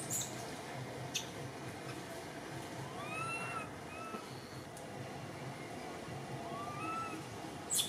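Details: Baby temple monkey named Cody, in Cambodia, crying scared while missing its mother up in a tree; faint thin rising-and-falling squeals come in a few short bursts over a steady hiss, with a couple of sharp clicks.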